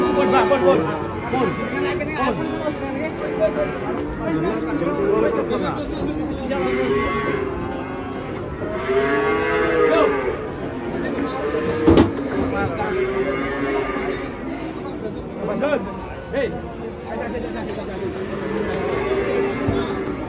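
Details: Fat cattle bellowing again and again. Loud arched moos follow one another every couple of seconds, swelling and sinking in pitch, over background chatter and one sharp knock.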